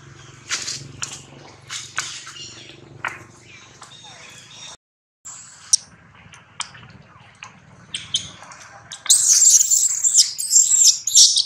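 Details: Infant monkey Rex cries loudly as his mother Rose repeatedly pushes him away during breastfeeding; scattered clicks and short squeaks build to a sustained shrill, wavering scream over the final seconds.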